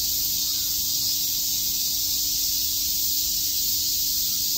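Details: Cicadas at Shakujii Park, Tokyo, on a summer day, chirping as one continuous high hiss, even in loudness throughout, over a faint steady hum.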